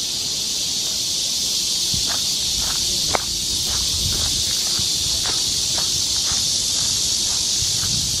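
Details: Summer cicada chorus in a Korean forest near Seoul: a steady, shrill, high hiss fills the air while footsteps crunch on the trail below, one sharp tap near the middle.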